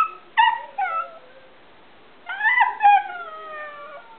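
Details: Cody, a pet Alaskan Klee Kai known for talking, produces two short whining yelps, a pause, then a longer wavering, sliding howl-talk with a quick second catch before trailing off.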